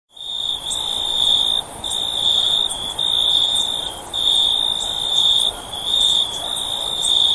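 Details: Cricket chirping as a sleep sound: a high, steady trill in long bursts of about one second, separated by short gaps, with sharp clicking ticks above it.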